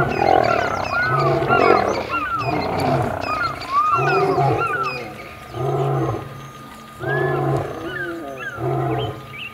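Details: Lion fight at Kruger National Park near Kambaku River Lodge, old male against young males over territory; deep pulsed roaring grunts repeat roughly every second and a half, while small birds chirp and whistle above.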